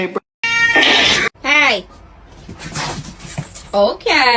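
A kitten gives short, arched meows that rise and fall, mixed with people talking and laughing.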